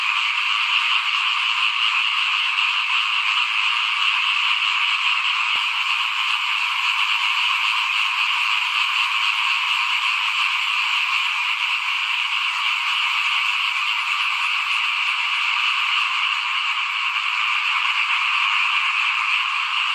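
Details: A mass of small frogs croaking in front of a house during rice sowing, 2021. A thick, buzzing wall of rapid pulsed calls carries on without pause, punctuated by a single faint click.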